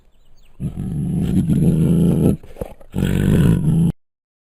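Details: Bengal tiger recorded at Luján Zoo lets out two loud, deep, gravelly roars, the first about two seconds long and the second shorter after a brief choppy break, then silence.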